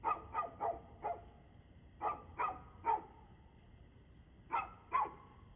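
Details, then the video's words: Evening dog barking, 6:02 pm on 2/6/2024: loud clear barks in quick succession, four in the first second, then three more and a final pair, with near silence between. "Barking Dog"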